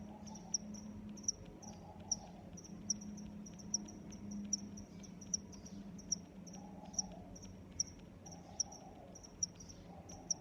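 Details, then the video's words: Crickets chirping in a nature setting: short, high, pulsed chirps repeated a little under once a second against a soft steady background hum, with occasional faint lower murmurs. "Sounds of Crickets"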